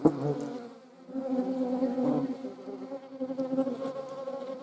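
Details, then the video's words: Hornet flying in the Eifel alongside wasps and honey bees: a short loud buzz at the start, a brief lull, then a steady humming drone that swells and softens until the end. "Hornets, wasps and honey bees. Hornissen, Wespen und Honigbienen."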